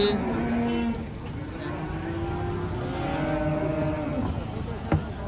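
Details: Cattle unloaded from a truck and raging: drawn-out, level lowing moos, the second lasting over two seconds, against a steady background rumble and a brief sharp knock near the end.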